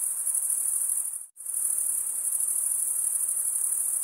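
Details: Crickets stridulating, males rubbing wing against toothed wing vein: a dense, continuous high-pitched trill with fine rapid pulsing, broken by a brief gap of near silence about a second in, then resuming unchanged.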